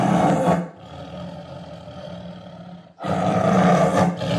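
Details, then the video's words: Two powerful, coarse tiger roars, one at the start and a longer one after a pause, with a low resonant rumble continuing faintly through the gap between them. "Som de Tigre"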